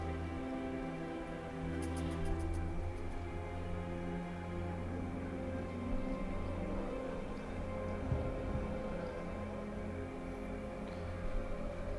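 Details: Low, dark orchestral music with sustained droning tones and a brief cluster of high clicks near the start; no animal calls are heard.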